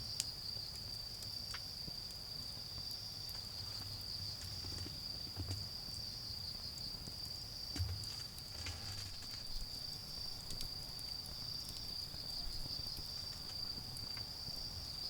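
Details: Autumn insect chorus in a garden while a bonfire burns down: a constant shrill trill runs the whole time, broken by occasional wood snaps and soft low thumps, with distant vehicle noise below.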